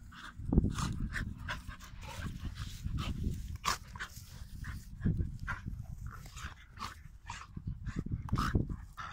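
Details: Two or more Pit Bull dogs play fighting. A steady low, gravelly growl carries throughout, with sharp scuffle clicks and breathy panting bursts layered over it.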